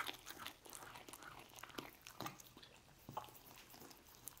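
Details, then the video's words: Lucy, a pet dog, eating roast beef indoors in a small room: wet, irregular chewing and biting sounds with sharp clicks every fraction of a second, louder bites near two and three seconds. "Dog Eating Roast Beef"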